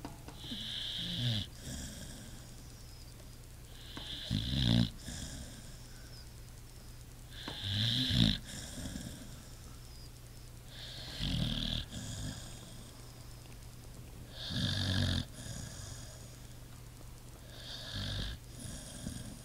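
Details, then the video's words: A pit bull sleeps and snores, each breath a deep rattling snort topped by a hissing whistle, about eighteen per minute, fairly regular, over a faint steady hum. "Pit bull snoring"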